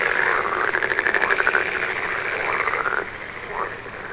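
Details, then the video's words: Frog calls at night, a fast series of buzzy pulsed croaks strongest early on, then thinning into softer, scattered calls as the chorus quiets toward the end. "One hour of frog sound"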